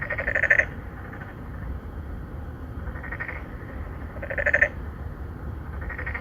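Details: Three or four narrow-mouthed frogs court females in an apartment-complex pond in Songdo, Incheon, Korea, recorded on a Galaxy Note9. A loud, buzzy pulsed croak returns about every four seconds, with fainter answering calls between and soft low background noise.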